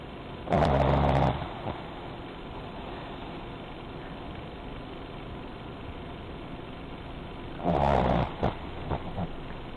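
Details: A male Pekingese snores while napping, loud, rasping, rumbling breaths, two bursts several seconds apart.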